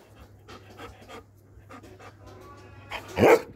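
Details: Doberman panting: soft breathy bursts repeated roughly three times a second, then a sudden louder, harsher burst near the end over a steady low hum.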